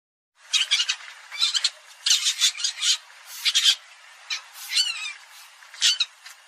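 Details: Civet, called อีเห็น (ตัวชะมด) in Thai, presented as a call that works well: harsh, high squawking bursts, about seven short clusters over six seconds separated by brief pauses, with no other sounds.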